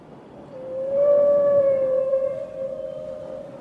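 A killer whale gives a long, steady tonal call that wavers slightly in pitch.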